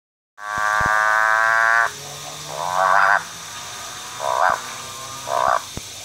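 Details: A motorbike frog (Ranoidea moorei) calls with a sustained, harmonic-rich drone lasting over a second, then three shorter, upward-swooping buzzy revs about a second apart, like a motorbike changing gear.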